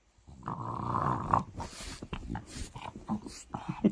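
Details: A French Bulldog wanting attention while being petted gives a drawn-out nasal whine-groan, then snuffling snorts and grunts, with a person's voice and handling noises close by indoors.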